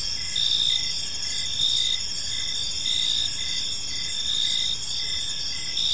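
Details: Evening chorus of crickets in a serene park, high shrill trills overlapping in bands, with louder pulses recurring about once a second over a soft low rumble of distant ambient noise.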